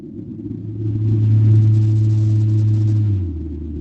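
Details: Antarctic blue whale Z call, a distinctive call detected with sonobuoys to find calling whales, sped up so humans can hear it: a long, loud, low tonal hum held steady about two seconds, then dropping to a lower pitch.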